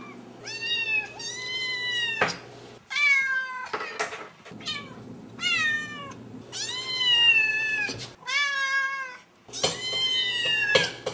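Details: Indoor domestic cats, kittens growing into adults, meow again and again: clear, tonal, arched calls with rich overtones, some descending at the end, separated by short gaps and a few sharp clicks, steady low hum beneath.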